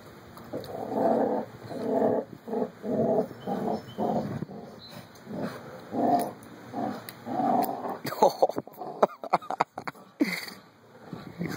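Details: Two puppies, Carlee and Sonny, growl while playing together; rough, rasping bursts repeat roughly every half second, followed by sharp clicks and thumps of their scuffle near the end.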